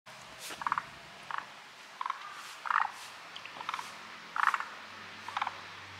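A chorus of forest green tree frogs, with short chuckling, rattled bursts overlapping at uneven intervals.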